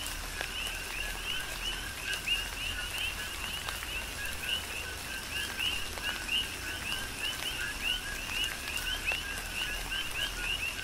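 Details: Coqui frog chorus on the Big Island of Hawaii with tropical rain falling. Bright two-note calls repeat densely, the second note higher and sharper, while raindrops patter steadily and some heavier drips stand out.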